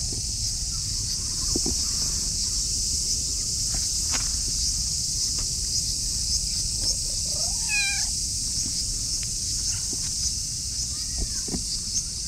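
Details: An affectionate orange tabby cat meows in a cute voice while rubbing against a person's legs. One clear, wavering meow rises and falls around the middle, with a fainter call later over a steady high insect chorus and light rustling.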